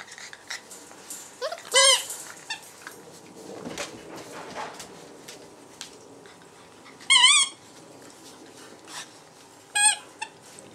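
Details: Puppies of the A-litter at the Hondenpaleis, whose mother's milk is blocked, giving three separate bursts of high, rising-then-falling squealing whines near two, seven and ten seconds, with soft rustling and quiet gaps between.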